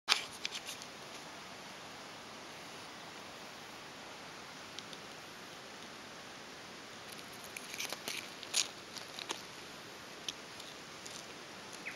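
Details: Outdoor rural ambience near rice paddies with steady low hiss, scattered faint clicks and rustling taps, and no animal calls heard.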